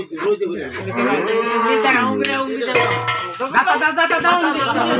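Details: Cow lowing while giving birth: one long, continuous moo that wavers up and down in pitch for about five seconds, over faint background clatter.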